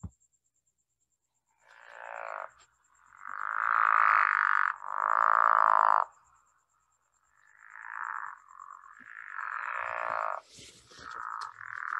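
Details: Pickerel frog, a small native Long Island frog whose call is likened to a soft grating snore: rough, rasping croaks lasting one to two seconds, rising and falling in a loose series.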